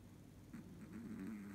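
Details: Sleeping Chihuahua giving a human-like snore: a short, nasal, wavering tone at low pitch that swells slightly, with soft breathy puffs layered above, over a steady low indoor hum.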